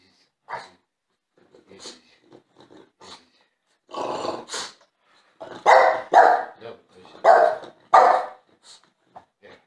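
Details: A French Bulldog, jealous and seeking attention, starts with scattered soft grunts and snorts, then breaks into a cluster of harsh barks and growly yelps.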